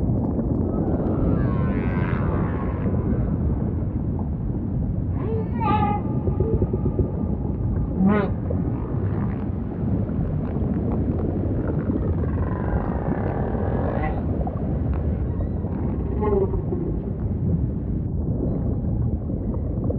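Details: Humpback whale song over deep ocean ambience: a series of moaning units, some with rising and falling harmonic sweeps and quick pulsed upsweeps, spaced a few seconds apart over a constant low watery rumble.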